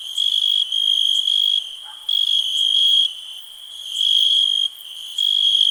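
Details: Cricket trilling in a high, steady, pure tone, delivered in bursts of about half a second to a second and a half separated by brief pauses, with a fainter higher overtone and soft, even higher insect buzzing behind it.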